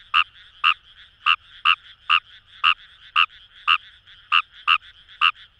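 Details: Croaking Fejervarya kawamurai in rice paddies beside the Kamo River, Itoshima, Fukuoka, Japan; short buzzy croaks about twice a second, sometimes paired, over a low hum of more frogs calling farther off.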